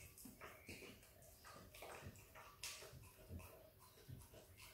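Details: Izzy, an Australian Kelpie x Border Collie puppy, indoors, licking and eating peanut butter: wet, smacking clicks and slurps in quick irregular bursts, with soft mouth noises between them in a small, quiet room.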